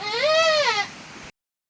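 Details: Rainy-season goat that has just given birth again; a clear, high, tremulous bleat under a second long that swells and dips in pitch before trailing off, then silence.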